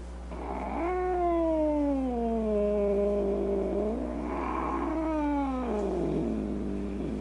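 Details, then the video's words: Domestic cat uttering a drawn-out moaning howl that starts high and glides steadily downward over about three seconds, followed by a second rougher wail that also falls away, harmonically rich over a faint hum. "Cats Who Make Funny Noises"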